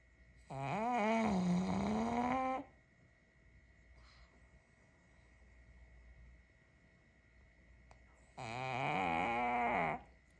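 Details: Kongzi, a six-year-old female pug, sleeping soundly after a tiring day, snores in two long nasal bursts, each a buzzy tone that bends upward with a whining, trumpet-like edge. A quiet stretch of several seconds separates them.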